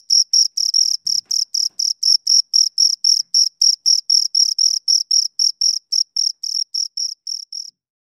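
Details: Close-range chirping of two crickets, evenly spaced high-pitched pulses nearly four per second that gradually soften and stop just before the end, followed by silence; a faint brief low knock near the start.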